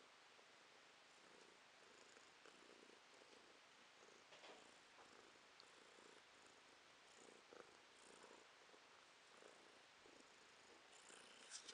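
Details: A domestic cat purring, recorded in November 2022. The sound is a soft, steady, breathy rumble with gentle rhythmic swells, quiet throughout, with faint rustling and a few small clicks.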